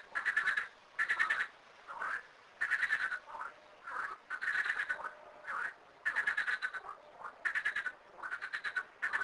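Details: Chorus of frogs at two small garden ponds home to thirteen frogs: rapid rattling croak bursts repeat roughly every second, answering one another in overlapping bouts separated by brief pauses.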